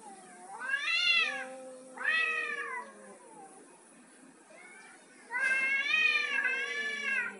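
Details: Male cat trying to dominate a female; long drawn, wavering harmonic meows, two calls in the first three seconds, a faint one near five seconds, then a longer rising and falling wail.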